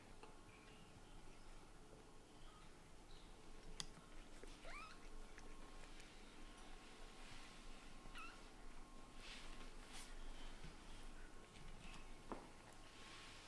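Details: Kitten Latte, a white and brown shorthaired young male, frustrated at being ignored by his mother Lulu, a blue tabby Scottish Fold, indoors at home; a few short, thin rising mews sound against a quiet room with soft rustling and bumps.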